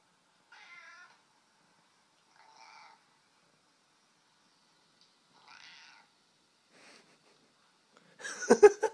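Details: A confused domestic cat, apparently unable to find where the other cat is, gives three soft, short harmonic meows spaced a few seconds apart in a quiet room, followed by a sudden loud, noisy burst at the end.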